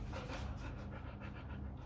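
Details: Rottweiler Gervi, a pet sharing a home with two H'Mong bobtail puppies, panting in quick, rhythmic breathy bursts about four times a second over a steady low hum, with faint Spanish speech nearby.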